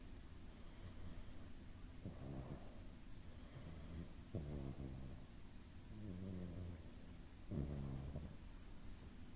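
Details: Domestic cat snoring and breathing softly in its sleep: low rumbling snores roughly every two seconds, rising and falling with each breath, over the steady whirring of an air purifier.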